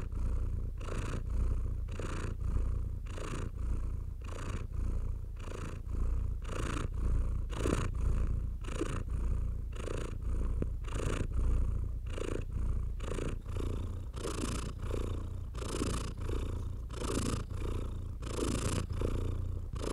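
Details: Calm house cat purring as it is stroked. A deep, constant rumble runs beneath repeated hissy brushing sounds from a hand on its fur, roughly one stroke per second.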